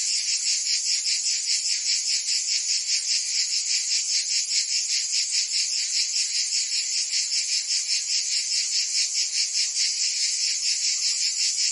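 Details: Summer chorus of cicadas in Provence, southern France, a shrill unbroken buzz pulsing evenly a little over twice per second, loud and constant throughout with nothing else audible.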